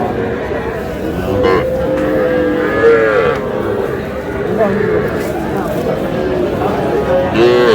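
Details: Young bulls and heifer calves at a Comilla cattle market in Bangladesh on 12 May: several short, wavering moos rise and fall over a steady murmur of crowd voices.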